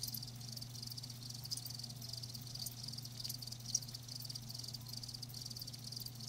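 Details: Continuous chorus of live crickets, a thin high pulsing trill with one sharp click midway, set against a low steady hum.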